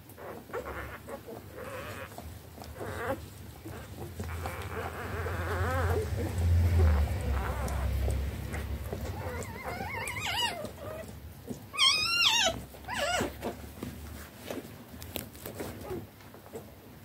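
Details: Eleven three-day-old standard wire-haired dachshund puppies rushing to feed from their mother all at once after their bed was changed; low rumbling and shuffling, then a burst of thin, rising squealing whines from the puppies midway, fading into muffled movement.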